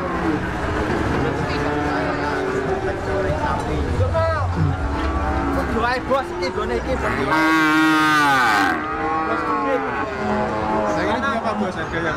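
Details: Cows lowing among chattering people, with a loud wavering moo near the end, a sudden hiss-like burst just before it, and constant crowd noise.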